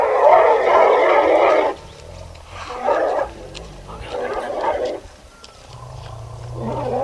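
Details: Angry trumpet of an elephant from a herd at sunset in Dhikala chaur, Jim Corbett National Park, Uttarakhand, India, with tourists in jeeps behind; a loud harsh blast opens, followed by shorter bursts at about three and four and a half seconds, amid low rumbling engine noise.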